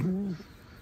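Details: Alice, a pet fox kept at home, gives a short, loud, steady low whine that lasts about a third of a second and then fades into quiet room sound.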